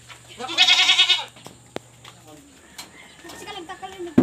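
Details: Pregnant domestic goats on a small farm being given ipil-ipil fodder; a loud trembling bleat of roughly seven tenths of a second opens, followed by a man's voice, light knocks and a low hum.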